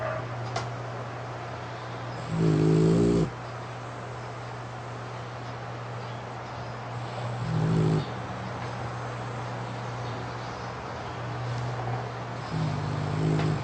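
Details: French Bulldog asleep with eyes open after tiring itself out playing, lips puffing with each snore; low rumbling snores recur about every five seconds over a steady low hum and hiss.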